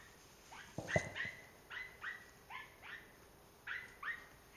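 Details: German Hunting Terrier yipping repeatedly, each high whiny yelp bending downward, about two per second in short bursts, with a low thud near the start.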